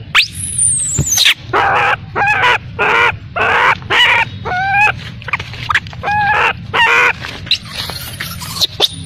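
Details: Abandoned baby macaque, left by its mother, crying: a run of harmonic, wavering cries repeated about every half second, with a few high sharp squeals mixed in.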